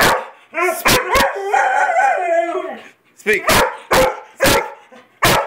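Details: Weimaraner and Vizsla dogs barking on a spoken "speak" command: a drawn-out harmonic whining yodel for about two seconds, then a run of sharp, loud barks spaced roughly half a second apart.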